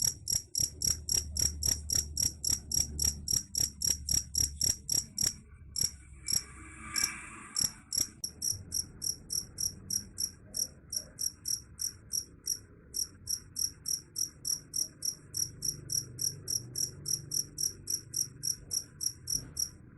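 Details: Cricket chirp said to scare off rats, a rapid series of high, sharp pulses repeating steadily, one brief pause, with a low background hum and a short ringing tone partway through.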